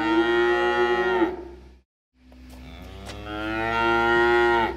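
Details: Cows at Droke Farm visited by a community group: two long, rich moos separated by a short silence, the second swelling gradually louder and holding steady before stopping abruptly.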